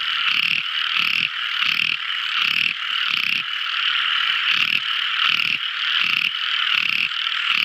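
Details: Night-time song of a tiny frog: rhythmic throaty pulses, about 80 a minute, set against an unbroken bright, ringing trill; a faint high hiss runs through.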